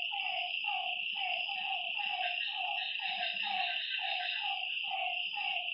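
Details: Frog calls heard at night at a lakeside, a steady train of clipped, slightly descending notes close to two per second, backed by an unbroken high insect drone.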